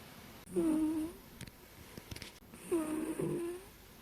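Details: A female cat sleeping deeply, on a pillow, snores softly: two drawn-out, slightly nasal breaths about two seconds apart, with quiet room noise between.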